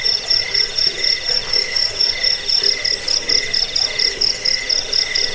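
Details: Chirping cricket, played to scare off rats, help with sleep and serve as a tutor for songbirds; piercing high pulses come in a steady rhythm, a lower ringing tone beating with them, with faint hiss underneath.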